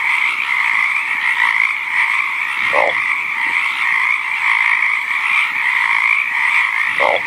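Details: Frogs calling in their natural habitat, a steady unbroken high trill running throughout, with two short low croaks dropping in pitch, one near the middle and one at the end.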